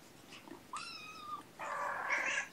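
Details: Mother domestic cat Gamora, nursing a litter of five kittens born April 14th, calling for the babysitter one June morning indoors: a clear tonal meow with rich harmonics, followed by a louder, rougher, broader meow.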